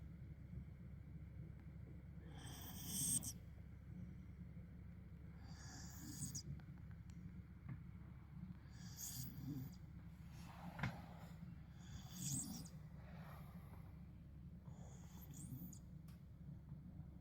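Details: A Tibetan Mastiff snores in its sleep, rhythmic grumbling breaths with hissy exhalations spaced about three seconds apart across the recording, low constant room hum beneath.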